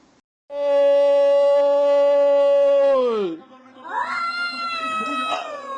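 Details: Domestic cat making a weird noise: one loud, steady, rich-toned yowl held for nearly three seconds before sliding sharply down, then a shorter wavering cry follows.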